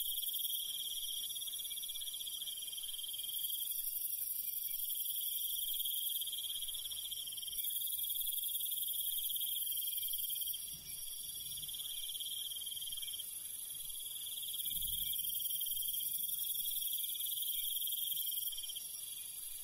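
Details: Night chorus of countryside crickets: continuous high pulsed trilling in long phrases separated by short gaps, over a constant very high insect hiss and faint low rumble.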